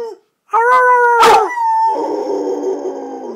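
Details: Pet red-nose pit bull named Thor giving a sustained howl, a steady tonal note with a brief sharp break in the middle before sliding lower and turning rough and wavering.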